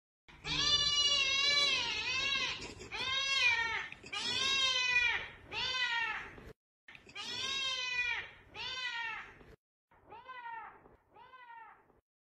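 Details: Domestic cat meowing repeatedly: eight drawn-out, harmonic-rich meows, each roughly a second long, rising then falling in pitch, the last two shorter and softer, with brief pauses between them.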